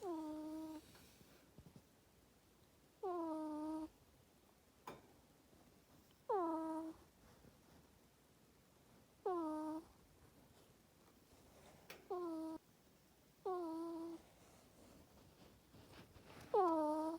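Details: Luna, a female pet ferret with an ear tumor, snores while sleeping in a cage in a bedroom: squeaky, harmonic whistles that slide downward, repeating roughly every three seconds over a quiet indoor background.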